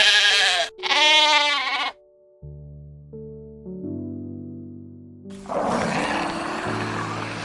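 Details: Sheep giving two loud, wavering, nasal bleats in quick succession, followed by background music and a burst of broadband noise.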